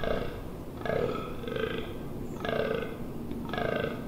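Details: Rutting fallow deer, Amsterdamse Waterleiding Duinen, 18 October 2021: four hoarse, burp-like groans with short pauses, harsh and low, over a background of faint rustle.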